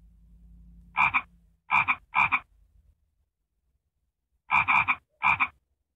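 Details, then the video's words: A frog gives harsh, double-pulsed croaks in two groups of three separated by a pause of about two seconds, with a low hum at the start and silence around the calls. "Annoying frog sound??"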